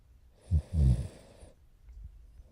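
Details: Sleeping French Bulldog puppy Morio, almost four months old, recorded 29 November 2011; a short snort, then one low, rough snore lasting under a second, followed by faint breathing.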